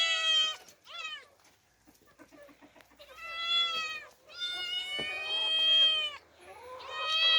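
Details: Two orphaned young female cats, Demi and Dena, out in open nature for the first time. Several drawn-out, harmonic meows, some short and falling, others long and steady, separated by quiet gaps.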